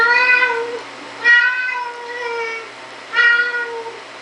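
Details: A Siamese cat gives long, drawn-out, nasal meows while opening a door, each holding steady before trailing off.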